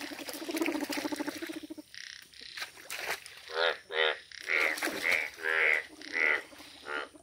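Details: Rare yellow-coloured Indian bullfrogs calling in nature: a dense, buzzy chorus of overlapping croaks gives way to a series of separate loud, nasal croaks about every half second, each a short harsh pulsed burst.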